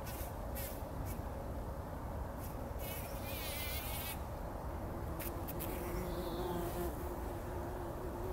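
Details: Bumblebees working a poppy blossom at dawn before sunrise, 2019, rolling in its pollen; a steady low hum runs throughout, broken by repeated crackling rustles and soft faint bird twitters.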